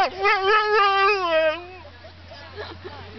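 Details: Saluki howling before lure coursing: a quavering, tremulous howl pulsing several times per second for about one and a half seconds, then fading into soft background noise.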